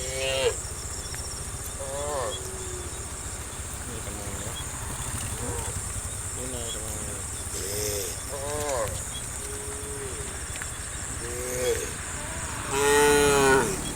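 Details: Dozens of tame cows running down a green hill valley through countryside in the morning sun; short, mid-pitched harmonic moos come from several animals every second or two, over a steady high insect hum and low rumble.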